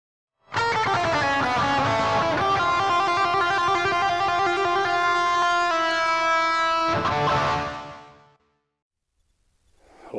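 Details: Sustained electric guitar chord ringing for several seconds, then fading into silence before another strum begins.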